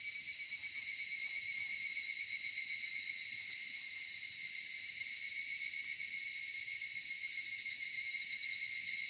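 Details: Summer dusk in a cedar forest, filled with cicada song: a continuous bright electric whine made of stacked high tones. Nothing breaks or changes across the stretch apart from slight flickers in the upper layers.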